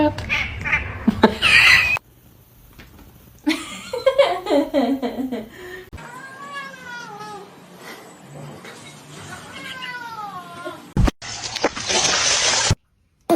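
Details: Domestic cat meowing amid a humorous pet compilation: several drawn-out, wavering meows between abrupt cuts, with people talking, brief laughter and a loud burst of noise near the end.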